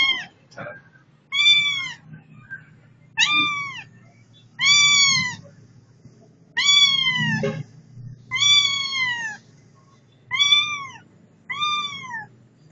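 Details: Domestic cat giving a series of clear, arching meows, each rising then falling, repeated roughly every one to two seconds; faint talking and low background hum underneath.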